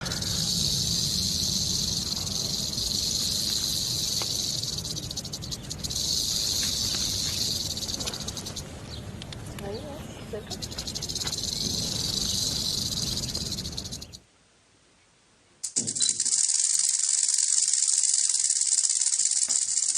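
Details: Rattlesnake rattling: a steady, dry, high-pitched buzzing hiss runs on continuously, swelling and easing in intensity, breaking off into near silence for about a second and a half before starting again.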